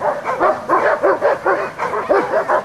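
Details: Amos, a black Giant Schnauzer, gives a fast, continuous run of rough, overlapping barks at a steady rapid pace, loud throughout with hardly any gaps.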